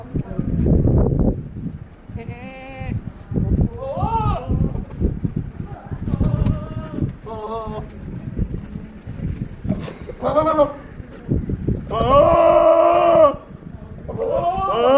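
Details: Big male Sirohi goat at Nisha goat farm, Pushkar, Rajasthan, giving repeated wavering, nasal bleats of varying length, one long drawn-out cry near the end, interspersed with men talking nearby.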